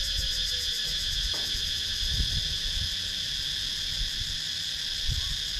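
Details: Cicadas buzzing in a wooded rural area of Sakon Nakhon, Thailand, via GoPro Hero 9: a continuous high, finely pulsed shrill, with a faint brief descending note early on and light low background noise.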